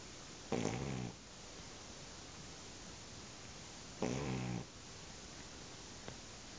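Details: Shar Pei dog sleeping and snoring: two long, rough, throaty snores about three and a half seconds apart, each lasting around half a second, with quiet breathing between.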